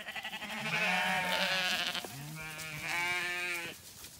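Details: Zwartbles ewes on an Irish farm in County Kilkenny, being moved to graze the long acre as lambs romp along; two long, wavering, harmonic-rich bleats, the second rising slightly, with a woman calling the flock.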